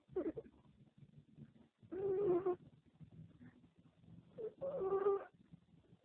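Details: Pet dog snoring while asleep in Mumbai in 2013, recorded up close near her nose and stomach while she was ill with cancer. Soft, buzzy, humming snores swell roughly every three seconds, with quiet breathing between.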